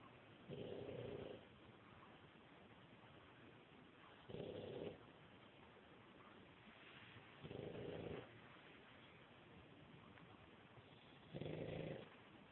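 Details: Sleeping pug snoring: four rhythmic, low, rasping snore bursts roughly every three to four seconds, each about a second long, separated by quiet breathing pauses.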